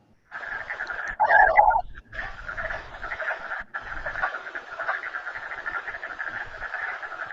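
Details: Male wood frogs (Lithobates sylvaticus) give their spring mating call at ponds in Kluane National Park, Yukon: rapid, duck-like quacking clucks overlapping in a steady breeding chorus.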